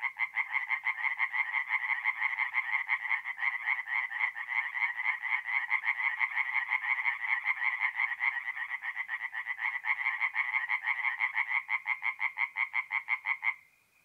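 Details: Singing tree frogs at a forest pond by night in mid-April, north-east Italy: a dense, rapid train of harsh nasal croaks pulsing several times a second for about thirteen seconds, then stopping abruptly with a faint trailing note.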